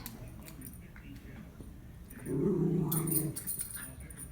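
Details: Female Miniature Schnauzer playing with a stuffed Kong toy, tossing it around to free the treat inside; one low, rough growl of about a second begins midway, preceded and followed by quieter rustling.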